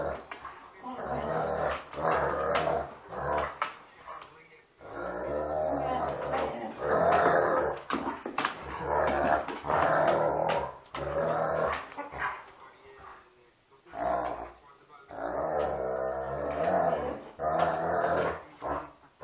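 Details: A pair of Irish Wolfhounds, aged 2 years and 14 weeks, playfully biting each other's snouts and making a lot of harmless noise. Repeated loud, rasping growl bursts last a second or two each and are separated by brief pauses.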